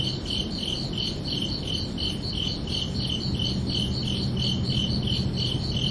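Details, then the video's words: Crickets chirping under a night sky on a summer evening: steady pulsed chirps, about three per second, in a high bright band, over constant low rumbling background noise and a faint low hum. "Calming Cricket Sounds for Relaxation"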